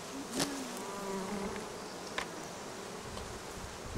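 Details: Droning swarm of bees on acacia and other flowering plants near the Cernavodă–Medgidia stretch of the Sun Highway; a constant hum, with the buzz of individual bees passing close now and then and a couple of brief clicks.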